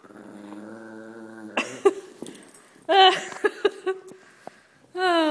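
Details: Tumbleweed, a pet pug, plays tug of war and makes funny noises whenever a shepherd dog comes near. A drawn-out, tonal growling moan is followed by sharp snorts and clicks, then a rising, whiny growl at the end.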